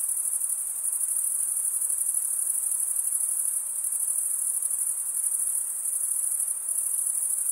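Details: Male crickets stridulate, scraping wing against serrated wing vein, in a shrill continuous chorus of rapid pulses with a slight waver in loudness; nothing else audible.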